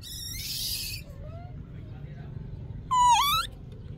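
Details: Infant monkey wanting milk, giving a short, rough, noisy shriek, then a faint rising whine and, near the end, a loud, tonal, downward-then-upward bent cry with strong overtones.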